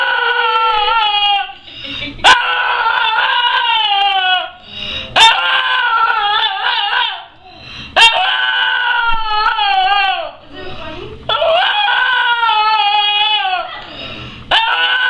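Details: Screaming dog Cody lets out a series of loud, sustained, strained wails, roughly twenty per minute, each wavering then falling in pitch, with short breathy gaps and sharp clicks between them.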